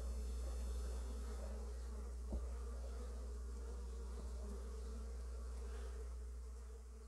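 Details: Honey bees bringing in early pollen, a steady low droning hum with layered tones, continuous throughout with brief faint knocks.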